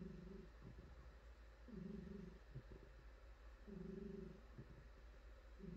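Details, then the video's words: Purring female house cat being stroked on her soft fur: deep, buzzy low rumble in three long pulses roughly two seconds apart, faint rubbing noises in the gaps, quiet room without speech. "Cat Purring"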